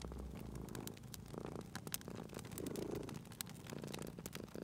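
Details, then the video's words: Soft, rumbling purr from a cat resting by a fireplace, rising in short swells, partly masked by dense, sharp crackling and popping from the fire. "Cute Purring Cat at a Crackling Fireplace"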